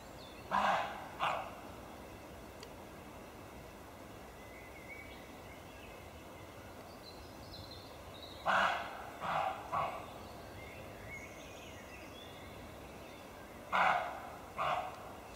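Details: Roe deer barking during an unexpected encounter: short, harsh barks in bursts of two or three, spaced about five seconds apart, over a steady background hiss with faint birdsong.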